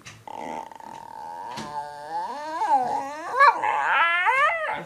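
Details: Dog vocalising indoors in a long wavering howl, its pitch sliding up and down in looping, almost talking swoops that rise and grow louder toward the end.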